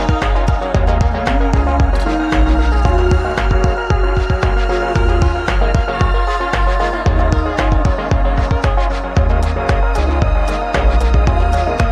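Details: Dense electronic music with a throbbing bass pulse and no animal voice.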